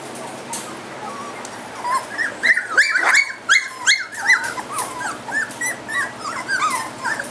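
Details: A three-week-old Goldendoodle litter, one ribbon-marked female puppy alone and seeking her littermates, gives dense high whimpers and yelps. The short bent whines come in overlapping runs, sometimes two voices at once, with faint rustling underneath.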